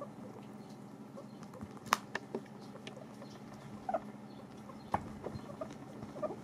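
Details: Several pet guinea pigs eat dried apples. Irregular sharp crunches and small nibbling ticks come every second or so against a low indoor hum, with one loud snap near the start.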